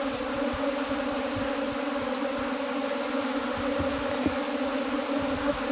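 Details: Continuous drone from cultivated honey bees, a rich steady buzz with twin pitch bands and small soft knocks scattered through it.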